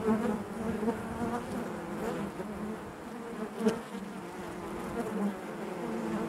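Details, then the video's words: Low, thick drone of many honey bees inside their hive, steady and slightly rough, with a few brief louder swells and sharp passing buzzes. "bees therapy hive natural buzzing sound"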